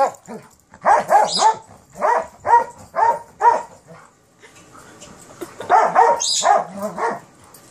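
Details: Terriers at play, a Kerry Blue Terrier puppy with an Airedale Terrier: bursts of sharp, mid-pitched barks and yips, six in quick succession, then a pause and another rapid run of four or five.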